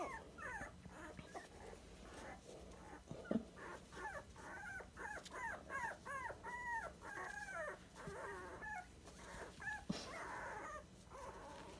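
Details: A litter of 23-day-old Dachshund puppies, tiny at just over a pound each, indoors: a long run of rapid squeaky whimpers and yelps, several pups overlapping in bursts every half second, with rustling.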